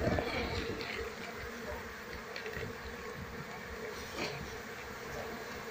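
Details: Asian honey bees from a wild colony, disturbed while being relocated and searched for their queen; a thick, even drone of many wings, a little louder at the start, with light handling noises.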